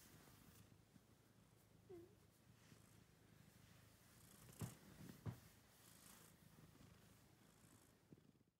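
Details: A cat wearing a scarf purrs indoors in a low, steady rumble that pulses on evenly throughout, broken by a couple of short sharp clicks near the middle and a faint brief squeak early on.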